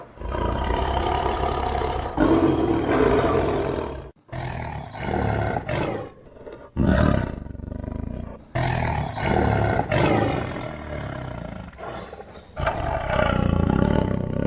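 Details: A tiger roars in separate bursts of one to two seconds each, deep and raspy, with near-silent gaps between them; the closing roar is among the loudest.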